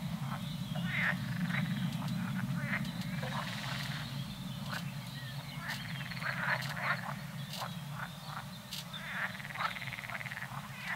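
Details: Wild boar at Ravels in 2020 give a steady run of low, rough grunts mixed with sharper snorts and rustling.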